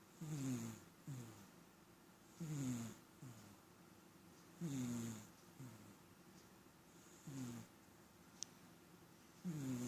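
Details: Pet cat that often snores, heard snoring steadily: a buzzy, low rasping breath roughly every two seconds, each with a falling tone and a softer trailing second part, in an otherwise quiet room.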